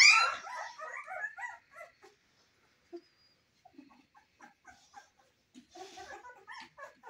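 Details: Newborn Cane Corso puppies in their first weeks begin with a loud, wavering whine, then fall to scattered short, faint squeaks and soft whimpers with quiet gaps between them.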